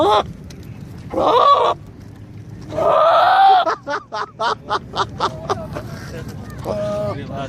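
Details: Goat calling: a loud, wavering bleat, then a longer, harsher drawn-out bleat, followed by a run of short clipped sounds and a quieter tonal call near the end.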